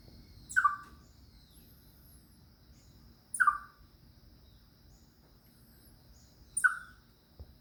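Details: Chipmunk crying out when it senses danger: three sharp, high, downslurred chip calls spaced about three seconds apart, each brief and piercing, against a quiet outdoor background with a faint steady high tone.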